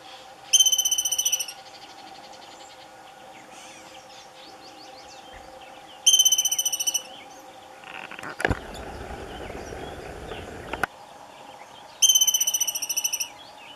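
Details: Two Franklin's ground squirrels fighting around 8 am on July 30, 2018, at Douglas Regional Park. High, harmonic trilled whistles, each about a second long, come roughly every six seconds, with a loud broadband rustling burst in between.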